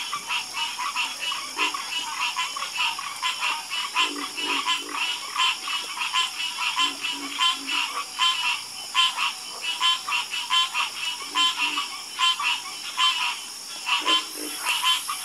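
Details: Harmonious frog chorus: dense, rattling croaks from many frogs, uneven and overlapping, with occasional lower grunting croaks standing out against a constant high-pitched background.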